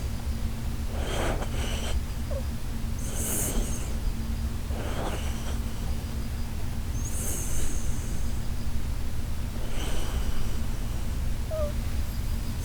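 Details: Koharu, a sleeping Shiba Inu, snoring in a way likened to the Titanic setting sail: breathy, hissing snores recurring every two to three seconds over a steady low hum.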